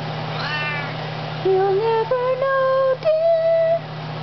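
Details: A Maine Coon cat gives drawn-out, tonal meows that step upward in pitch as it sings along with a person singing "You Are My Sunshine".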